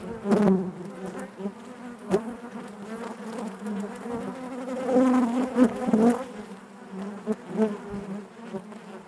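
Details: Buzzing of honey bees in their hive, a thick continuous hum with fluctuating loudness, several close buzzing passes and faint knocking clicks scattered throughout.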